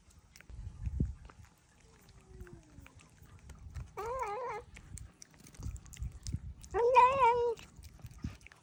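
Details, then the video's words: Household cats squabbling over shared treats: two wavering, tremulous drawn-out calls around four and seven seconds, set against scattered low thumps and clicks. "The funny sounds our cats make when they are eating treats."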